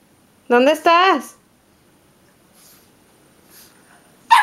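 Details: A Boston Terrier battling a vacuum cleaner gives two loud, tonal barks in quick succession, each rising then dropping.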